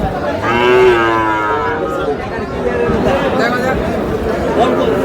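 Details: Sahiwal calf bought by a farmer from Shariatpur, Bangladesh, on 26 August, giving one loud, drawn-out, slightly wavering moo lasting about a second, over a steady background of crowd chatter and noise.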